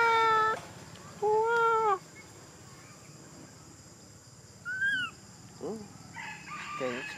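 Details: Big Bertha, a monkey, crying: two drawn-out, tonal, harmonic wails, the second slightly arching and nearly a second long, then quieter short rising and falling squeals amid a faint background hiss.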